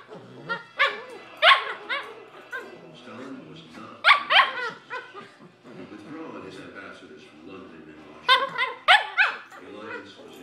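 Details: Cavalier King Charles Spaniel; play vocalizations; play between dogs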